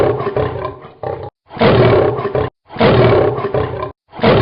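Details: Lion (Panthera leo), roar.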